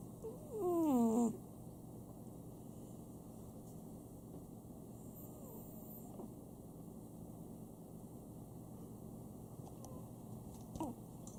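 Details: Sam, a pet Chihuahua at home, snoring: a thin whistled nasal tone that wavers and slides downward for about a second, then long stretches of quiet breathing over a low indoor hum, with a faint squeak near the end.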